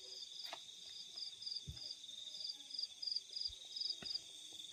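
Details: Field crickets at night giving short pulsed chirps in a quick steady series, around three to four per second, above a constant shrill drone, with a few soft thumps and clicks.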